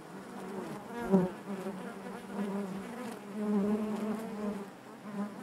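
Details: Continuous hum of honey bees within the hive, a low buzzing drone with rich overtones, one close bee rising loudly just after the first second, then a steady, gently pulsing colony sound.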